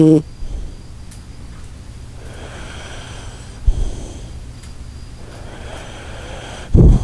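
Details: Sleeping Shiba Inu Koharu snores. Soft, breathy inhale-exhale rasps recur every second or so, ending in a louder, low, rough snore. A brief tonal squeak opens the clip.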